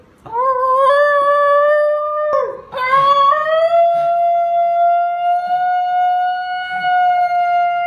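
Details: A Basenji, an African dog that does not bark normally, yodels with a smooth, sustained rising wail when excited.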